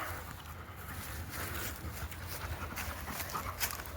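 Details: Josa, a female Labrador Retriever, at a Denver dog park near the forest during zoomies, panting in quick soft breathy puffs about three to four per second, over a low rumble of wind and outdoor noise.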